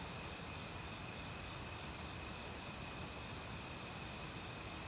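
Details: Autumn crickets in a forest calling together with various other insects, steady high trilling bands with a pulsed buzz repeating several times per second, over a continuous rushing valley stream.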